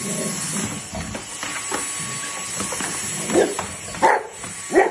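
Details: Bernese Mountain Dog giving three short, sharp, slightly rising yips toward the end, spaced under a second apart, over a steady background hiss.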